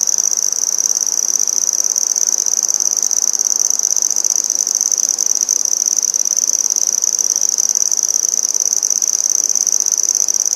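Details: A red-headed bush cricket, or handsome trig, sings in Maynard, Massachusetts, 14 September 2019: a sustained, loud, high buzzing trill of fast regular pulses, steady in pitch and volume for over ten seconds.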